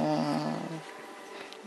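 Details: Cocker spaniel puppy, one of two young siblings being raised indoors, makes a short, harmonic, wavering whine-growl lasting under a second, then a woman speaks softly nearby.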